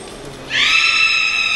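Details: Captive beluga at Port of Nagoya Public Aquarium, with a voice described as soothing. It gives one steady, bright whistle with rich overtones that begins abruptly after a quiet half second and holds level to the end.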